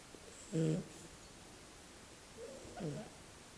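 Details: Sleeping Shar-pei puppy Berry gives two snoring breaths: a short, loud, buzzy snort with clear stacked tones, then after a pause a softer, drawn-out rasping one, with only faint room hiss behind.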